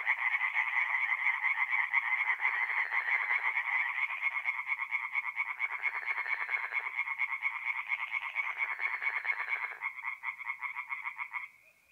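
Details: Singing tree frogs at a forest pond by night, mid-April, North-East Italy; a loud, overlapping chorus of fast pulsed croaks that thins toward the end before falling silent near the last second.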